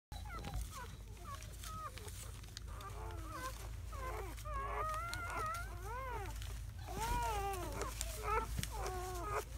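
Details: Seven newborn German Shepherd puppies, four males and three females, in their first hours after birth on May 7–8, 2017; overlapping squeaky arched squeals and whines from several pups, with a steady low hum behind.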